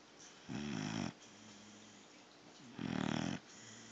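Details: Thor, a sleeping pit bull puppy, snores indoors: two low, rasping, harmonic snores about two seconds apart, each lasting roughly half a second, with quiet breathing between.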